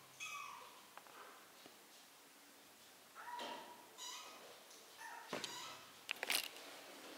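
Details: Several brief high-pitched meows from three-week-old kittens learning to walk, some overlapping, mixed with clicks and rustling near the end.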